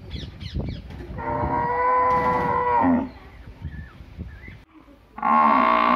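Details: Village cow mooing with a level, nasal call of almost two seconds that drops at the end, then starting a second loud moo after a pause; scattered knocks and farmyard noise in between.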